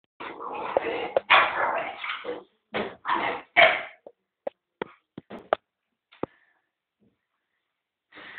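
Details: American Pit Bull Terrier puppy, eight and a half weeks old, meeting a two-year-old American Staffordshire Terrier; a burst of noisy barking and growling for about four seconds, then short sharp yelps and clicks, and a spoken word at the end.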